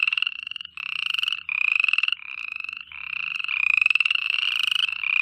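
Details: Frogs calling at night: dense, overlapping pulsed trills, each burst under a second long and rising slightly in pitch, following one another with brief gaps; a faint low hum underneath.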